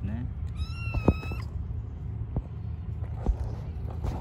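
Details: Stray kittens and cats living on the street, being fed: one clear high harmonic meow lasting under a second, slightly rising then level, over low traffic-like rumble with clicks and a man speaking Turkish nearby.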